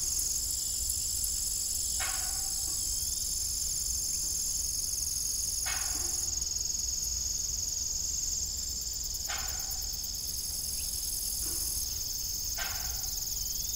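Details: Crickets chirping in the evening beside an old, rusty, broken farm windmill; a steady, high, shimmering insect chorus runs throughout, broken every few seconds by short creaking knocks.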